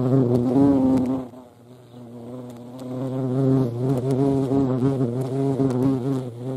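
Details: European hornet filmed in the Eifel, a low, steady droning buzz with stacked harmonics, dipping in loudness around the middle as the insect moves away, then swelling back.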